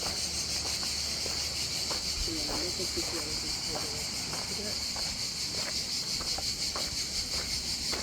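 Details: Cicadas singing in the background at a beach near Antibes and Cannes in the south of France: a dense, steady high-pitched buzzing hiss with a faint pulsing texture, over soft human voices and scattered clicks.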